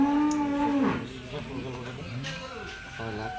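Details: Cattle bought as Qurbani animals for Eid al-Adha, June 7, 2025, in Bangladesh: a steady low moo lasting under a second, followed by overlapping speech and background noise.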